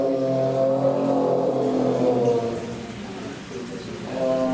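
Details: Amur tiger roaring in one long, steady, low droning call with rich overtones. It holds for over three seconds, fades slightly, then a fresh call begins at the end.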